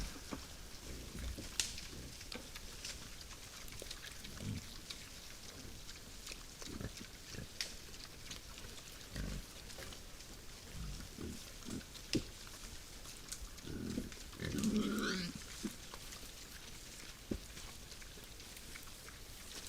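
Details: Night at a forest feeding spot, wild boars rooting about: scattered deep, short grunts with much shuffling and crunching noise, rising near the end into a brief, louder squealing call before fading back to quiet grunting.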